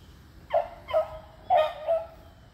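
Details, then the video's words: Beagles treeing squirrels on June 3, 2020, three dogs aged eleven and three; four short, bright barks arrive in two pairs about a second apart over a quiet background. "Beagles Treeing Squirrels"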